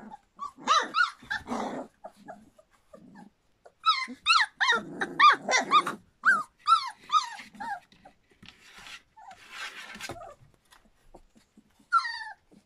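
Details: Litter of Standard Poodle puppies just over three weeks old, River's pups: bursts of high, falling whimpers and squealing yelps in clustered runs, pauses between, then a final thin cry.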